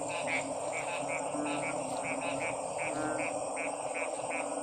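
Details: Frogs calling in a steady chorus of short, bright pulses repeated several times a second over a constant hiss and low humming background.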